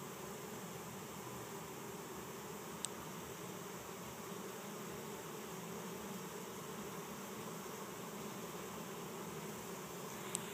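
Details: Honey bee swarm of 6000-8000 bees on the ground in a yard in Chico, California, 2013, being captured as bees fan their wings sending out pheromone and walk into an empty hive; steady dense broadband hum throughout, two faint clicks.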